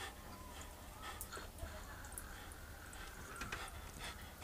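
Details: A Jack Russell Terrier waits by the back door for his "mortal enemy" outside and gives a thin, high, wavering whine that rises and falls, with faint panting, sharp clicks and a low background rumble.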